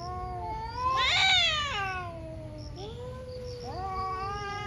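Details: A morning fight between two cats: one wavering low wail swells into a loud, harsh screech, then sinks into a long moan before a fresh rising howl, with a low hum and faint high chirps behind.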